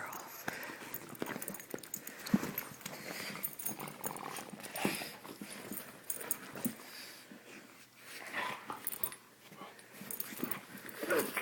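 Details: Eight-year-old pug Peaches playing with Jameson, a 16-week-old mastiff puppy, indoors: low rough growls and huffs amid scuffling paws and bumps, with a person's voice talking and laughing over the rough-and-tumble.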